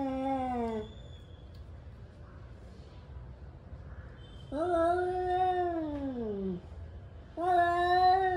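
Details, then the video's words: Angry male cats yowling as they warm up for a fight, three drawn-out moaning howls that dip and fall in pitch, with quiet gaps between them. "Angry male cats warming up for fighting"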